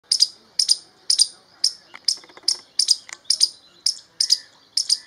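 A grey squirrel gives sharp, high chirping barks, about two each second.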